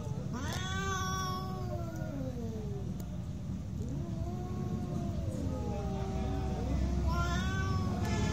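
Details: Fighting cats produce sustained yowls that sweep up then slowly slide down in pitch, two voices overlapping, with a constant low hum underneath.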